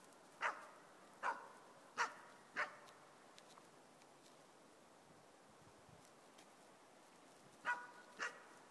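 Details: East Siberian Laika puppy of four months bark-baying at a moose on a hunt: four evenly spaced sharp barks under a second apart, a pause of about five seconds, then two more barks.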